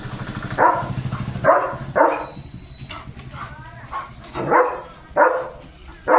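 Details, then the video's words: Leo the German Shepherd barks at cattle and goats being driven to the fields. A run of six punchy barks spaced about half a second to a second apart, with a brief lull midway, people speaking and a faint whistle-like tone. "Leo The German Shepherd भुंकतोय गुरांवर"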